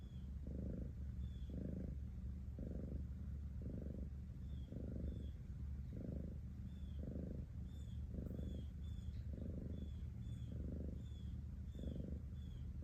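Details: Cat purr, a low throbbing drone that pulses in regular surges about every second over nearly thirteen seconds, with soft high-pitched chirping faintly behind it.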